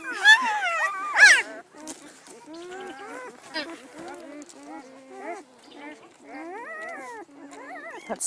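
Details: Newborn Great Pyredane pups from a spring 2016 litter give two loud, sharp squeals, then a long run of softer, short, arched whimpers, several pups overlapping, as a person counts them aloud.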